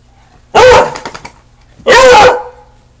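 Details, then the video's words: Young Beagle, newly adopted, giving two loud, deep, drawn-out bays about 1.3 seconds apart, each lasting around half a second, in a quiet room, with a man coaxing it to bark. "Beagle barks like a Blood Hound"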